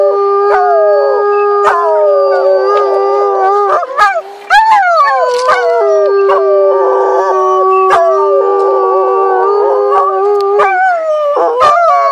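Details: Timber wolves (gray wolf, Canis lupus) howl together in a chorus of long, steady, overlapping tones sliding up and down.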